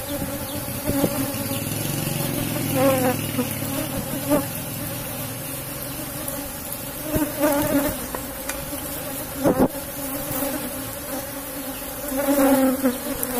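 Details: Honey harvest from a strong Asian honey bee colony in a box hive: an ongoing droning buzz mixed with low rumble, repeated knocks and handling noises, the hum swelling toward the end.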